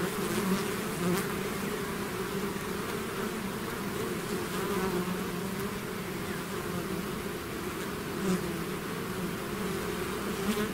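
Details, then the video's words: Bee swarm out of its hive, an unbroken humming roar with low rumble beneath and brief sharper buzzes from individual bees passing close. "bees therapy swarm natural buzzing sound"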